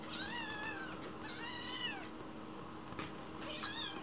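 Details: White rescued kitten in a kitchen, begging sweetly for food while someone is there: three high, drawn-out meows with bending pitch, spaced a second or two apart, over a steady indoor hum.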